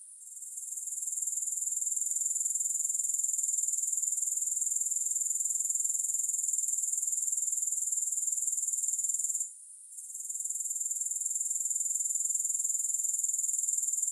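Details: Grasshoppers heard without music make a sustained, bright, high-pitched buzzing trill with a regular rapid pulse. The sound rises in at the start and has one brief gap partway through.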